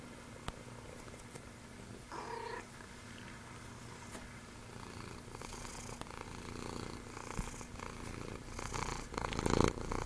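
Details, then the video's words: Bennie, a special needs cat with the rare genetic disorder Axenfeld-Rieger syndrome, at Calico Junction Sanctuary, purring in a soft, steady low rumble, with brief rustles, a short higher noise near two seconds and louder handling sounds toward the end. "Purr Box Bennie the Special Needs Cat"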